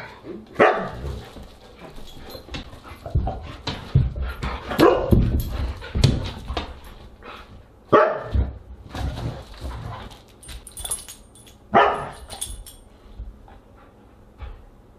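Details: Siberian huskies at a dinner party on August 30, 2022, giving a series of loud barks, yips and whimpers, several bursts spread across the stretch, with some music and household noise mixed in.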